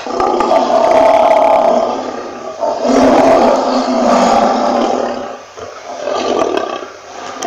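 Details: Lion (Panthera leo), roar.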